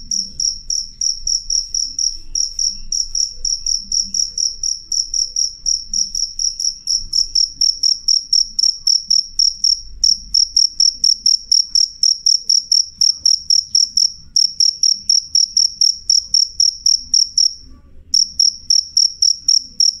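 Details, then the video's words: Cricket giving a loud, clear call of sharp, very high chirps at roughly four per second, continuous apart from one brief break, over a quiet low rumble. "suara jangkrik jernih keras"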